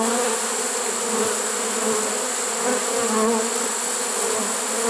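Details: Honey bee swarm caught in a swarm trap late in the season, September 1, 2019: a dense, steady buzzing hum with bands near 250 and 500, unbroken throughout.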